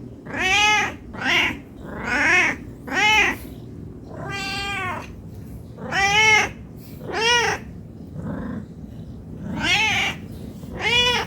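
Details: Hungry house cat asking for food with a string of nine or ten loud, rich meows, each rising then falling, gaps of about a second between them, one softer low call near the end.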